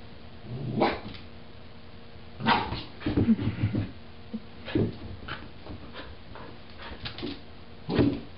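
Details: Irish Terrier puppy, three to four months old, indoors and confused by its own reflection in a mirror, gives short, sharp barks and yaps in spaced bursts, with a busy cluster around three seconds and a final bark near the end.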